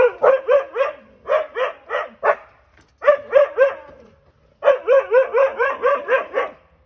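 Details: Siberian Huskies out on a back deck confronting a stray cat for their first close meeting: rapid, bouncy barking in quick groups of three to seven, repeated several times a second with short breaks.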